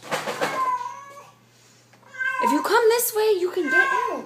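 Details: Feral cat let into a house, meowing indoors: a steady high tone, then wavering, rising and falling meows after a short pause, with a person's voice at the start.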